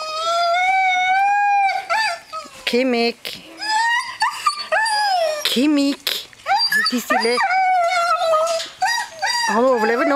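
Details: Greenland Dog puppies, seven weeks old, three litters at play together in a farmyard at a Norwegian kennel in June; long wavering howl, then a chorus of high yelps, whines and sliding squeals from many pups.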